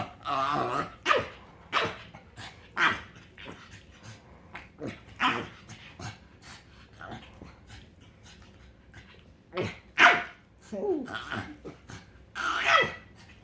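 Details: Happy pug making weird noises: irregular snorts and grunts mixed with short nasal whines and squeaky whimpers, some loud bursts spaced a second or two apart.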